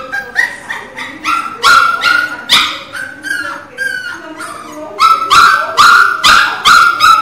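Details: Teco, a Pinscher puppy, crying loudly in rapid bursts of shrill yelps, with a few longer wavering whines in the middle before the quick, insistent yelping returns.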